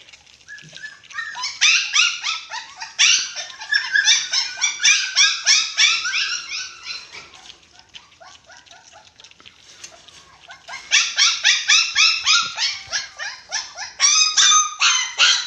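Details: Six-week-old dachshund puppies at eating time, a white Japanese Spitz among them, give rapid, shrill, overlapping yelps and squeals in dense bursts that ease off midway and return strongly near the end.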